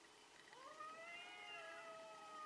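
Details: A cat in a fight gives a single low, rising then level yowl lasting about two seconds, set against a steady hiss of background noise.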